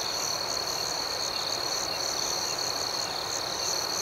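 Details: Crickets at night in an outdoor setting form an unbroken, high-pitched ringing drone, with a fainter, faster pulsing layer above it and no other clear sounds.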